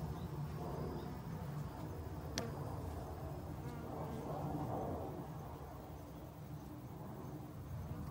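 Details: Autumn honey bees hurrying to gather winter food, heard as a dense, rumbling buzz heavy in the low range, with a brief sharp click partway through.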